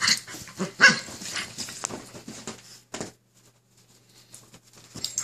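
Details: Two Keeshond dogs fighting for control of the bed, giving harsh growls and a short bark-like yelp, busy for three seconds, then near silence before a final rough burst.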